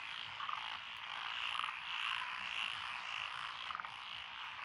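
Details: Chorus of frogs in lotus paddy fields along a rural road, Echizen City, Fukui, Japan, 12 June 2021: steady massed croaking with a few louder nearby trills and clicks standing out above the continuous wall of calls.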